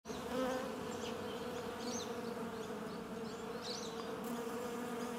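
A dense, even hum of many bees fills the air, a low droning buzz that holds steady without pause. Faint, brief high chirps from small birds come through in the background.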